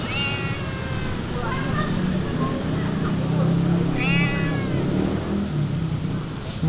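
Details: Hungry stray cats at feeding time outside give clear, harmonic meows, one near the start, a softer pair after, and another rising meow later, over a constant low background hum.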